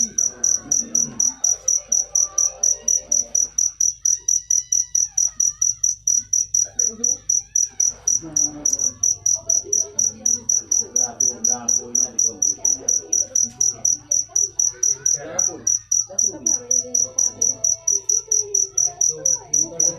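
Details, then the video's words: Cricket singing a steady run of high, pure chirps, about two per second, each a short bright pulse, with faint murmuring voices low in the background. "Full suara Jangkrik manis. Suara merdu"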